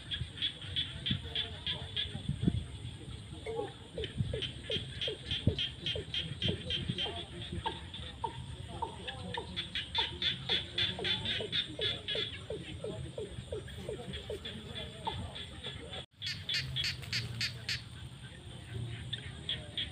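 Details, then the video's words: A frog chorus rises from rainy-season fields at sunset: repeated high pulsed trills in bursts overlap many short downward-sliding croaks, over steady low background noise with a brief dropout near the end. "The sound of frogs crying in the fields at sunset during the rainy season"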